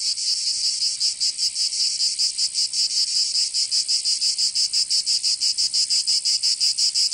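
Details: In the summer heat of Provence, France, cicadas produce a shrill electric buzz, at first fairly smooth, then breaking into strong rhythmic throbs several times a second that grow more distinct toward the end.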